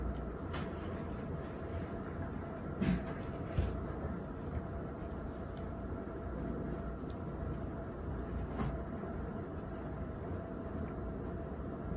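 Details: Steady low rumble of a moving vehicle, like a train or bus, with a few clunks and no animal voice.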